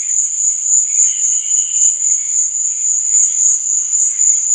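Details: A nighttime cricket trill, thin and very high, sustained without a break and pulsing quickly and steadily, over a faint, muffled layer of lower warbling sound.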